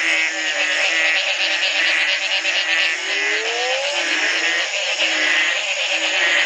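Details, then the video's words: Morning frog chorus in Belize at the Community Baboon Sanctuary, 2010, following one night of rainfall after three months of drought; continuous shrill pulsing chorus with a pair of short rising sweeps near the middle. "Frog calls galore"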